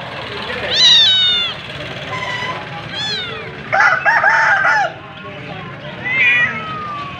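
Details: Cats and kittens meowing: several rising-then-falling harmonic meows, one near the start, another around the middle and a softer one near the end, over a steady background murmur.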